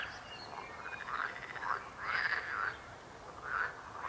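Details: Croaking frogs giving rough, buzzy pulsed croaks in clustered bursts about every second, several voices overlapping over a low background hiss.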